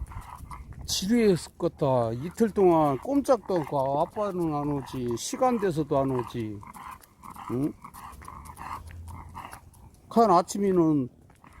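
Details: Pet dog Khan sulking after coming home from Gageodo island: a string of drawn-out, whiny moaning grumbles that rise and fall in pitch, given in close bursts, then a pause and a final short volley near the end.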